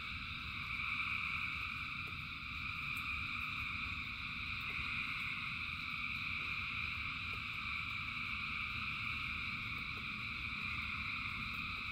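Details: Rainfall with thousands of frogs singing: layered, even, high trills run without a break across the whole stretch, while a low rushing rain bed and occasional sharp drip taps sit underneath.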